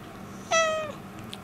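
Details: Cat complaining about something and seeking affection indoors, giving a single short, clear meow that starts sharply and slides slightly downward, with rich harmonics, in a quiet room.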